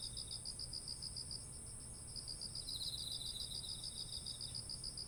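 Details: Autumn insect voices next to ripe rice fields in Japan, ZOOM H1essential recording: an even train of fast, high chirps throughout, a second caller's softer trill rising in the middle, backed by a constant shrill high band and faint low hum.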